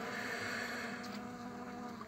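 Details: Honey bees on a single frame with their queen, from which a new colony is being formed; a steady, droning hum with layered tones holds throughout, easing slightly toward the end.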